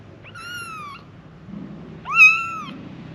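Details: Five kittens calling for their mother with small mews: two high, thin calls, each a steady tone with rich overtones, separated by a short pause.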